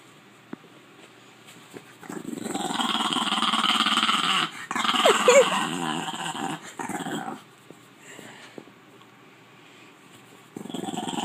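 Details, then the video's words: A female French Bulldog gives low, rumbling growls and grumbles, the noises French Bulldogs make when annoyed. "These are noises that French Bulldogs make when they're annoyed."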